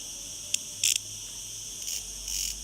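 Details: Cicadas on Gozo, thousands present in a villa garden and at times deafening: a steady high hiss runs throughout, with short louder buzzy bursts near half a second, around one second, and again after two seconds.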